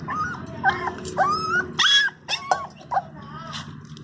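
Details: During its first bath a Labrador Retriever puppy gives plaintive whimpers, high wavering whines and a few sharper yelps, uneven in rhythm, with a steady low hum behind.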